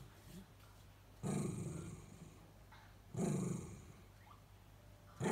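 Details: Two Miniature Dachshunds whining with a phlegmy, rasping growl to press their owner to come back from the next room, not angry; three low, broad, rough growl bursts about two seconds apart.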